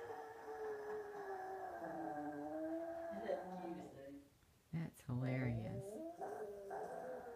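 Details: A Yorkshire terrier, a female pet indoors, sings for her owner in the morning: long wavering howled tones sliding down and up, a brief break, then more quavering howls, with a person talking softly over her.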